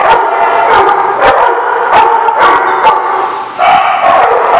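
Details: Dog barking in sharp, repeated bursts, about eight short barks in under five seconds, over a steady, continuous whining tone that shifts slightly near the end.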